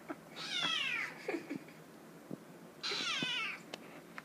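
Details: Young male domestic kitten meowing indoors because it wants to get into the dishwasher: two drawn-out, falling, harmonic-rich meows about two seconds apart, with faint clicks and household noise in the quiet gaps.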